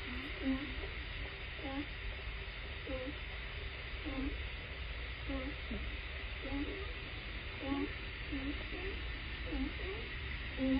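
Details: California sea lions at Point Robinson, Puget Sound, Washington, USA, heard through a hydrophone: a steady series of short, gruff, harmonic-rich barks roughly every second, clearly standing out against the continuous low underwater drone.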